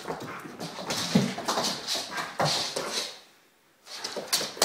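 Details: A Vizsla kept indoors on a rainy day gives restless, whimpering whines in rapid, uneven bursts, wanting to play outside, while a person speaks to it.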